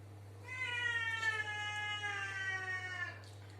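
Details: Domestic cat inside a bathroom giving one long, sustained meow of about three seconds, steady in pitch with a slight dip and rise, over a constant low electrical hum.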